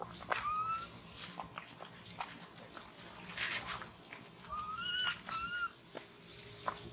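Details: Baby monkey Thona, having lost its mother and hungry for milk, crying loudly: thin, rising whistled wails, one early on, then a cluster of three near the end, over steady background hiss and scattered clicks.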